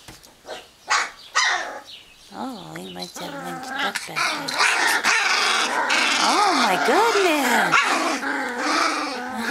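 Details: Wirehaired Pointing Griffon puppies, a young female harassing her littermates: rough growls, yelps and rising-falling whines overlapping, growing into a continuous noisy scuffle.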